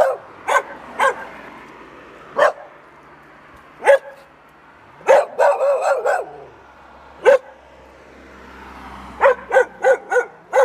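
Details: Dogs barking in Bușteni, Romania, 13 October 2021: sharp single barks at irregular intervals, a quick cluster of barks near the middle and a fast run of four or five at the end, with faint low rumble beneath.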